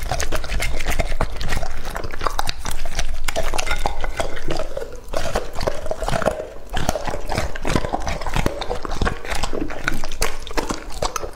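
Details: Lucky, a two-and-a-half-year-old male English-type Labrador Retriever, eating in a close-up ASMR recording. Chicken biscuits are mentioned just before. Dense wet chewing, crunching and smacking run continuously, with short lapping bursts and a brief lull in the middle.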